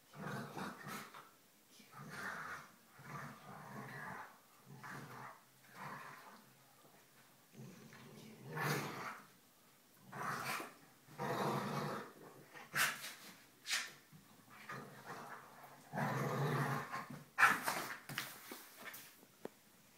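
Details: Polo, a smaller black dog, play-growls with his foster sister while showing off teeth; repeated rough growl bursts and snarls about every second or two, some sharp louder yaps, indoors.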